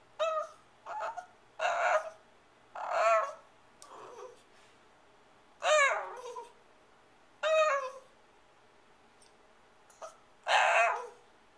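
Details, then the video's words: Female pet Shiba Inu demanding her dinner indoors, April 23, 2010: loud, drawn-out whining yowls with wavering, bending pitch, about seven bursts over eleven seconds, nearly talk-like. "Shiba Inu Sachi - Hurry up!"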